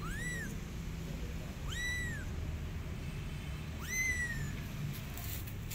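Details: Kitten calling its mother cat, who hurries to help. Three thin, high meows, each rising then falling, spaced about two seconds apart above a constant low background hum.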